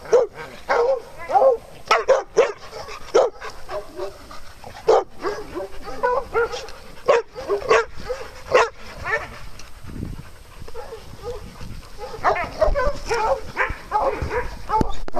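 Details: Farm dogs during playtime, barking excitedly in irregular bursts of sharp yips and barks, some overlapping as if from more than one dog, with brief quieter stretches of shuffling between volleys.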